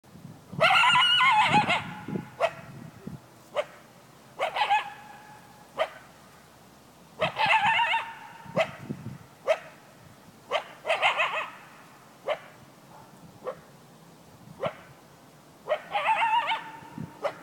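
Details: Coyote protecting his territory, giving a series of sharp barks, some stretched into short harsh yelping howls, spaced roughly every one to two seconds against a quiet background.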